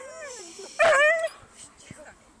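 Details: Whippet at agility: a thin whine gives way to one loud, sharp yelp with rich harmonics lasting about half a second, then softer whimpers.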